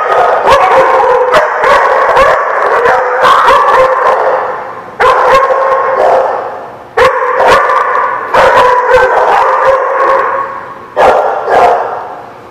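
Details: Several dogs on 4 November 2017 barking and yipping together, mixed with drawn-out howl-like tones; dense chorus in bursts of a few seconds, each ending in a short lull before the next begins.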